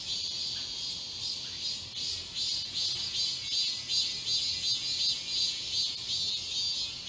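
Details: Summer cicada chorus in the woods of Galsan Park, Seoul, South Korea: dense, shrill high-pitched buzzing with gentle rhythmic swells pulsing about three times a second, no other clear sounds.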